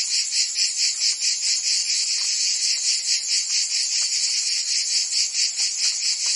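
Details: Summer chorus of cicadas in Provence, France, a shrill unbroken buzz pulsing rhythmically roughly twice a second, loud and even from start to finish.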